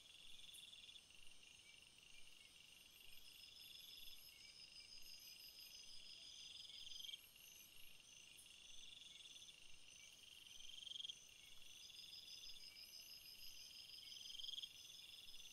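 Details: A chorus of crickets with multiple high trilling voices overlapping. Some run steadily while others come in bursts lasting a few seconds. Short sharp ticks punctuate the shimmering insect background.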